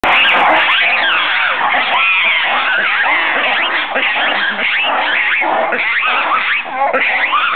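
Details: Red ruffed lemurs at the San Francisco zoo giving a territorial call: a dense, continuous chorus of harsh overlapping barks and wails, loud throughout with rapid repeated upsweeping cries.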